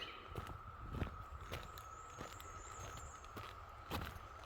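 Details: A distant cicada chorus hums as a steady, even drone, likened to a low howl, behind crunching footsteps on a spring trail hike on Rich Mountain Loop Trail, 8 May 2025, with cicada shells hanging everywhere.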